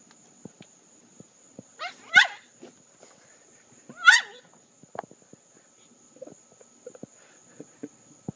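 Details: Dog named Jenna crying from her pool, wanting to be scratched; two harsh, piercing yelp-cries about two seconds apart, surrounded by scattered clicks and splashy taps, and a constant thin high-pitched tone in the background.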